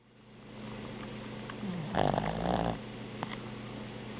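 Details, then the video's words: Boston Terrier snoring, one drawn-out rasping snore of under a second with a faint nasal whistle, set against a steady low indoor hum and a brief click afterward. "Boston Terrier Snoring"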